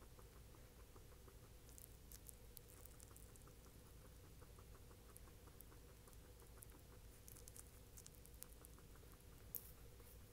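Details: Guinea pig mashing a banana with lip smacks, producing faint quick chewing clicks in a steady rhythm of about three per second, some sharper crackles, over a low constant background hum.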